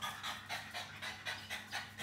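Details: Two pet French Bulldogs in a kitchen in Lamphun, northern Thailand, on a Saturday morning, fur stained green after raiding food colouring; rapid breathy panting in a steady rhythm, roughly four quick huffs per second, with no other clear sounds.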